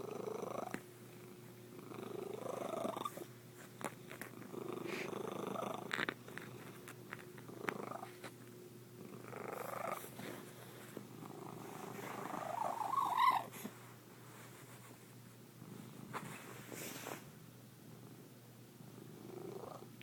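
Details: Domestic white cat making an unusual, strange purr indoors; loud, rough rasping phrases that rise and fall in bursts of a few seconds, higher-pitched and more buzzy than a usual low purr.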